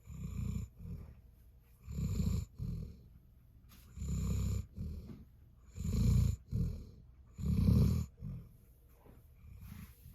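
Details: Jindo dog snoring: deep rumbling breaths repeated roughly every two seconds, loud low snorts alternating with softer intakes, steady and unhurried, in a quiet setting.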